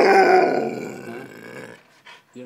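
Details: Rime, a male Alaskan Malamute aged one year and ten months, objecting to the camera: a loud, drawn-out, rich harmonic grumbling growl lasting under two seconds and fading away, followed by a brief spoken voice.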